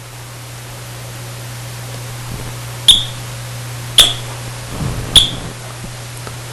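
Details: Three brief, high electronic chirps, like a smoke alarm's warning beep, sound about a second apart. A low steady hum fills the room, and no animal voice is present.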